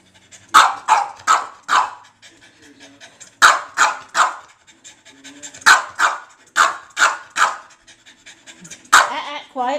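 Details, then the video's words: Foster dog barking indoors in rapid bursts of three or four sharp barks, repeated in clusters over several seconds, with a person speaking quietly between the bursts. "Rocket Racket"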